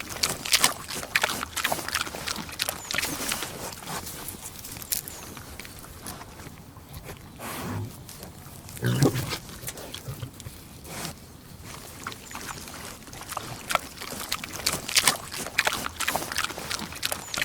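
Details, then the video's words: Pig eating, with dense crunching and smacking chewing noises that continue throughout and a few soft low grunts in the middle. "Efeito sonoro de porco comendo"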